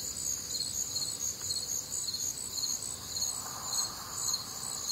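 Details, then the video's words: Crickets chirping on a warm, humid summer night in the Midwest, high pulsed notes about two per second stacked over a constant shrill drone, with a soft lower rustle partway through. "Night Time Cricket Sounds"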